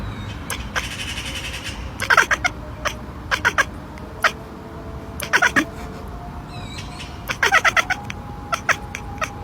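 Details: Cat making rapid ekekekk chatters, bursts of sharp clicking stutters in quick runs of several pulses, repeated in clusters every second or two, over a faint background hiss.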